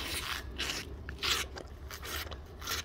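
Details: A tiger licking cream rasps its rough tongue in quick, dry scraping strokes, each under half a second.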